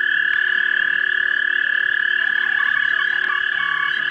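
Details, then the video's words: Frog chorus at a pond around dusk, March 2011, during mating, recorded with a 3 megapixel camera: loud, steady rapid trills forming one bright continuous band, with scattered short lower notes beneath. "Frogs Pond Mating"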